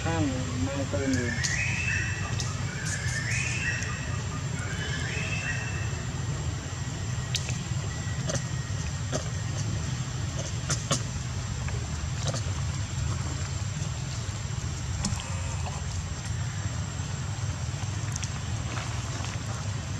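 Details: Monkey Jane, furious at Briana, warns and attacks with a strong bite to protect Janna; a burst of harmonic squealing screams fills the first five seconds, then only low rumbling background noise with scattered clicks.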